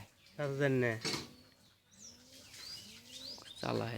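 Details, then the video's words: Baby goats, kids, jumping about: a wavering, nasal bleat at the start and another at the end, with faint higher squeaky calls and background chatter in between. "baby goat sounds"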